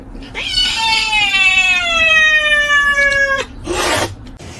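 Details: Domestic cat in a cat fight lets out one long drawn-out yowl of about three seconds, a steady wailing tone that slides slowly downward, then breaks off into a short hissing burst.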